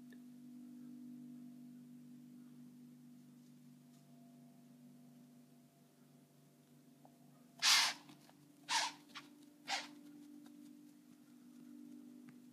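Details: Mature white-tailed doe in Wyoming, hunted during bow season, blowing in alarm at a bowhunter: three harsh, explosive broadband bursts in quick succession, each about a second apart and fading in strength, over a quiet background hum.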